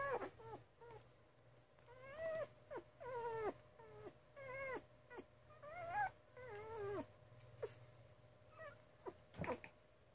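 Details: Litter of 2.5-week-old Miniature Schnauzer puppies, Bea and Jonesy pups, whimpering in thin, bending squeals that climb then drop, several in a row with short gaps, over faint background hum and soft rustling.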